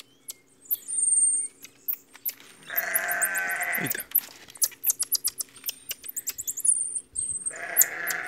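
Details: A baby marmoset, raised free-roaming on a farm, gives thin, piercing high whistles and rapid sharp chirps, sounding angry and agitated.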